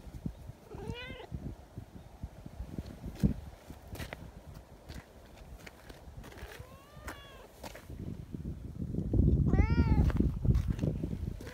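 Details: Sociable silver tabby community cat, fond of talking, answering a person hidden behind a bench; three separated meows, the last loud and bending upward then down, amid rustling and low outdoor noise.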